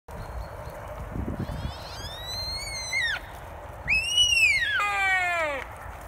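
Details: On a Scottish parkland one October morning, a sika deer stag in the rut gives his whistle, a high rutting call that rises sharply and then slides down; he calls about every five minutes.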